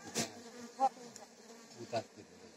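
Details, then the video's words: Buzzing honey bees while honey is taken from the hive in Palpa Rampur, a constant low hum broken by several sharp knocks and handling noises. "Honey bee"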